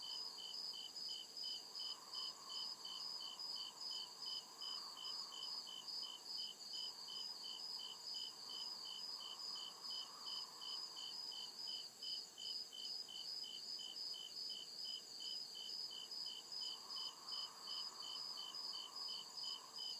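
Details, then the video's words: Cricket chirping at night in the deep woods of a forest: steady, high-pitched pulsed chirps repeating rapidly and evenly throughout, with a second chorus layer slightly lower, over faint low rumble. "CRICKET CHIRPING SOUND"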